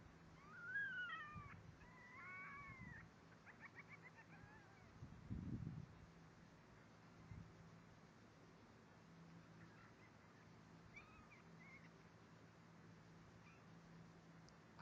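A young fennec fox gives high, wavering, mewing squeals in a short burst, then fainter calls later.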